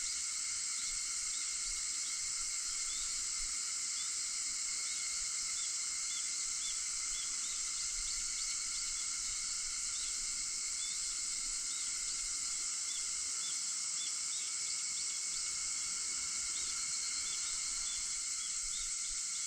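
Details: Cicadas recorded on August 4 at 4:50 in the early morning: a dense, unbroken high hiss with steady shrill bands held through the whole stretch, and faint short chirps dotted above it.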